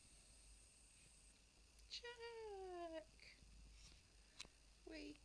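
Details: Shih Tzu in the morning, indoors, giving one drawn-out whine that slides gently downward over about a second, followed by a brief rising whimper near the end; a quiet room with faint background hiss.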